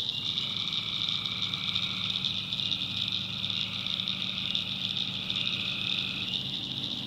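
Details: Night chorus of tree frogs in the North Carolina backwoods, a continuous shrill high drone with a long sustained trill that breaks off near the end, plus faint low rumbling beneath.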